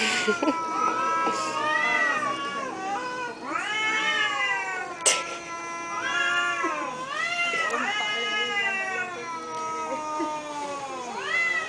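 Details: Thai domestic cats communicating indoors with repeated arching meows, each call swelling and dropping in pitch, given in a steady back-and-forth series over about twelve seconds with a brief click midway.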